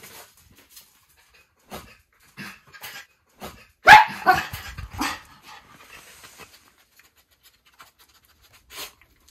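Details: Two Miniature Schnauzer brothers, puppies, exploring a new doorway to the front yard in Aroostook County, Maine, on May 2, 2022. Soft scattered sounds give way to one loud, sharp bark midway, followed by a few shorter yips, then near quiet.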